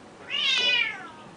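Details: A Burmese cat, which goes outside most mornings to sing to the birds, gives one drawn-out, high meow that rises and then falls over about three-quarters of a second, against quiet surroundings.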